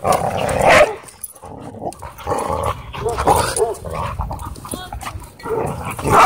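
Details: Dogs playing together at a dog park, with rough growling and short harsh barks in bursts over a tangle of scuffling noise, and human voices talking in the background.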